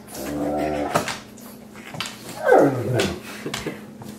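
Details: Pug and a Great Dane at play inside a home office; a sustained harmonic growl, then a sharp falling whine-like yelp, amid scuffling and bumping noises.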